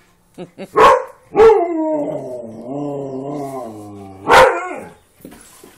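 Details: A husky, wolf hybrid and pug playing together; two sharp barks, then a long, drawn-out harmonic howl-like moan that wavers and slowly falls for about three seconds, ending with another loud bark and soft grumbles.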